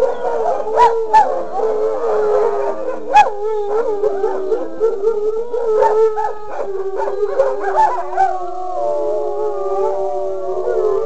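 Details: Wolfdogs howl together in sustained, wavering chorus tones broken by short yips and sharp accents, with the voices settling into steady layered notes near the end.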